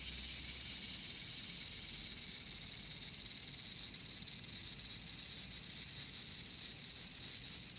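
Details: Bear cicada (Cryptotympana facialis) calling: a loud, continuous high-pitched buzzing drone, steady throughout, with faint rapid pulses riding on it and no other clear sounds.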